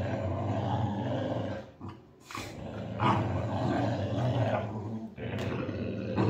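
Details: Boxer dog in a game of tug of war, growling hard and low. The rumble runs almost without a break, apart from a short dip near two seconds.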